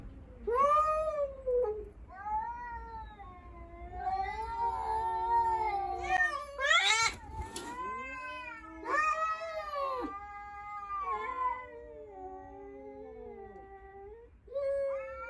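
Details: Tense caterwauling as a stray cat appears before a household of five rescue cats in Japan, the lone male standing up to it: long rising-and-falling yowls, repeated in wavering bursts, one harsh hissing burst midway, otherwise quiet surroundings.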